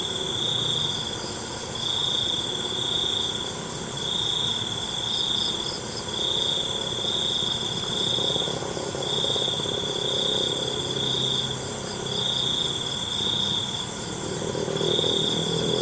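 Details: Crickets call through the night with a near-continuous piercing trill in closely spaced bursts, a faint pulsing higher chorus behind it, and a few brief clicks early on.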